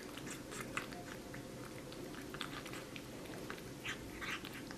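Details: Young cat gnawing at watermelon, producing quick moist smacks and soft crunching bites scattered unevenly through the clip, with a low background hum in a small room.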